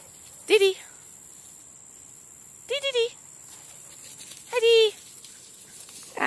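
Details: Playful dog in a large yard, among Taro, Mouse, Honey, Foster and D, letting out three separate sharp, ringing yelps spaced roughly two seconds apart, the second broken into a quick stutter, over quiet background hiss.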